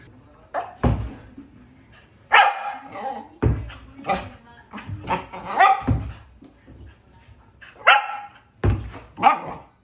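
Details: Pembroke Welsh Corgi at play with a ball, tail wagging, barking repeatedly. Sharp barks come every second or so with uneven spacing, amid thuds and handling noise, with some speech in the background.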